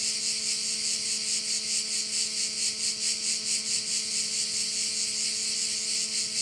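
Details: Crickets calling at a bay on Korčula, Croatia: a dense, high, hissing buzz pulsing steadily about twice a second, with a faint low steady hum beneath.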